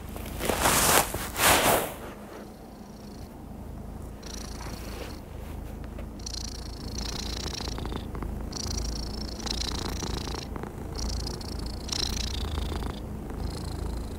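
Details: Happy cat purring after a brief loud rustling burst at the start; thereafter a steady low rumble with rhythmic breathy, higher-pitched swells every second or two.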